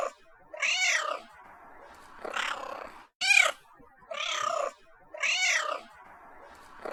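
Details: Domestic cat giving a steady series of about six meows, each a nasal, arched cry that swells and fades, with brief silences between calls.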